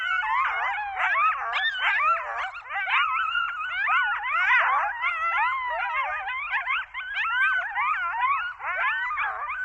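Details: Group of coyotes calling together in Zion National Park, a dense nonstop chorus of rapid wavering yips and short rising-falling howls tangled over one another for the whole stretch.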